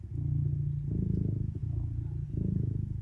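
A serval purrs in a deep, steady rumble that swells and fades with each breath.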